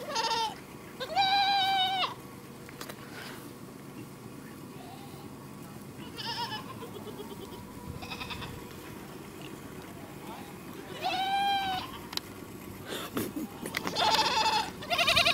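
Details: Goats producing odd, quavering bleats, arched in pitch and strongly harmonic, repeated at irregular intervals with a cluster of overlapping cries near the end over steady low background noise.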